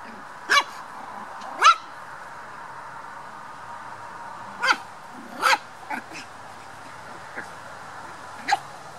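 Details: Black toy poodle puppies playing, a handful of sharp isolated yaps separated by quiet stretches over steady low background hiss.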